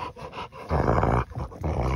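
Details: Rottweiler, called big kid, growling at its owner while holding a toy, in a playful bad mood; two deep, rumbling growls, the first about half a second and the second shorter, separated by a brief pause.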